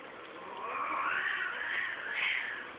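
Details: Mating cats at Geraki, Crete, in a group: one drawn-out, wavering yowl that swells and sinks for nearly three seconds, rising at the end, over a dull background hiss.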